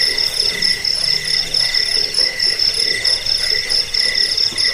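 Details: Cricket chirps meant for repelling rats, helping sleep and training birds: a steady chorus of shrill pulsed notes with a lower ringing band, swelling in short waves a little over once per second.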